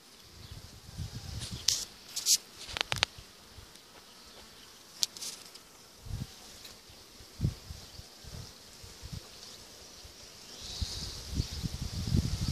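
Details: Swarm of honey bees settled on an apple tree, 12 June 2017, later filling about six or seven Dadant frames in a hive; steady high hum under low rumbling bursts and a few sharp clicks.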